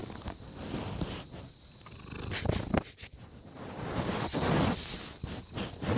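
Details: A sleepy domestic cat named Cece purrs in a low, steady rumble made of rapid soft pulses, with a faint high hiss throughout and some louder rustling bursts.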